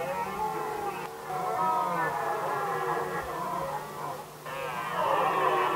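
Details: Rutting red deer stags vying over hinds in Västmanland, Sweden, 2010, give rough, buzzy, overlapping groaning roars that dip briefly twice and then rise again in a grating chorus.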